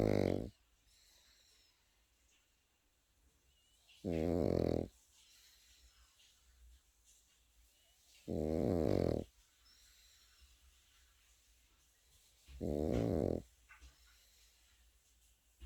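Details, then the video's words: Pekingese puppy asleep indoors, snoring in loud, rasping bursts of under a second, spaced about every four seconds, with near silence between breaths in a small quiet room. "패키니즈 코고는 영상"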